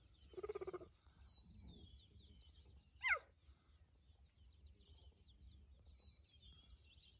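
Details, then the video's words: A male cheetah coalition, recorded from very close, calls for a nearby female with a sharp, high chirp that drops steeply in pitch, with birdsong behind it, on safari in 2020. "CHEETAH CALLING - WHAT A PITCH!"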